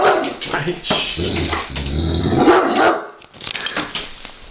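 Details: A 49 kg Giant Schnauzer growls low and rumbling at a wooden toy sheep covered in real sheepskin, uneasy about it, while a person talks nearby.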